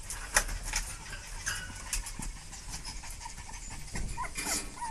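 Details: Dogs in a panic: steady noisy panting and shuffling, broken by brief high whines that bend upward near the end, plus an early sharp knock.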